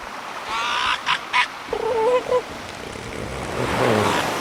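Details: Killer whale underwater calls: a few short broadband bursts, then a harmonic, honking pulsed call wavering in pitch, and a fainter rough call near the end over steady ocean hiss.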